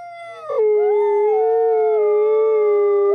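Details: A white wolf howls in one drawn-out, clear tone that starts a little higher, slides down within the first second, then holds level, rich and mournful, until it ends.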